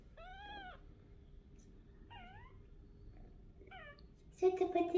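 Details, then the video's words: Pinky, a kitten at 28 days old, chasing her owner indoors after first venturing out of her nest, gives three clear, high meows, rising then falling, followed by a burst of loud handling noise and a voice. "Pinky started to come out of her nest, running after me and meowing"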